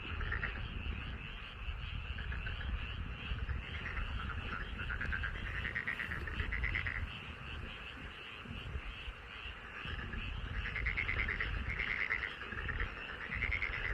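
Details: Chorus of many frogs in a rice paddy beside a home in Korea, rapid pulsed croaks layered into a continuous trilling wash that swells louder toward the end, over low rumbling background noise.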